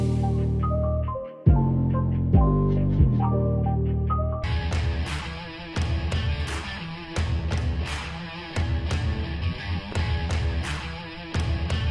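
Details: Loud rock music plays throughout, with a plucked guitar intro that gives way to heavy distorted guitar and drums, and no animal sound.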